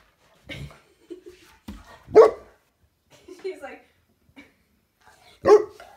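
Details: Saint Bernard female, excited while playing with a grasshopper, lets out two loud, abrupt barks a few seconds apart, with a person speaking and softer whining-like sounds in between.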